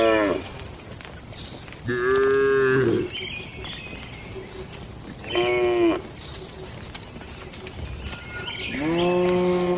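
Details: At night in a village cattle shed, cows give short moos of about a second each, spaced several seconds apart, with faint chirps and a steady high-pitched hum in the background.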